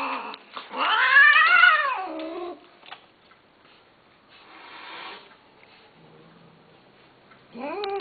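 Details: A cat lets out one long, wailing meow that swells and falls over nearly two seconds, followed by quiet room noise and a short, sharp meow at the very end.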